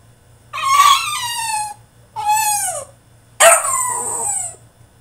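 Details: French Bulldog in a tantrum inside his cage, giving three long drawn-out whining howls, each starting high and sliding downward, spaced about a second apart.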